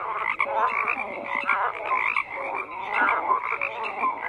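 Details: Frogs croaking in a crowded continuous chorus, grating pulses layered with small bright tonal blips, constant loudness.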